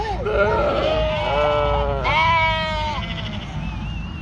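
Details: A young ewe on a farm in northern Spain, unable to get up after lambing, bleats loudly. Strong, wavering, overlapping bleats follow one another almost continuously, ending with a thinner, higher call.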